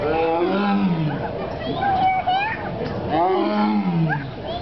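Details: Tiger at a zoo: low, rough moaning calls that rise and fall, two main bursts about three seconds apart, with human voices alongside.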